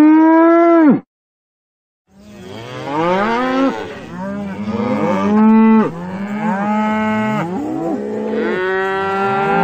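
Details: A cow moos repeatedly in long, deep, harmonic calls that swell and fall away.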